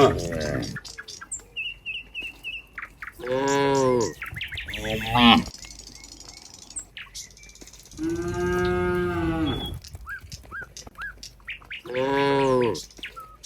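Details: Cows on the way back to their pen moo in a group: three or four long, harmonic, slightly falling moos with quiet stretches between them, and faint bird chirps in the background.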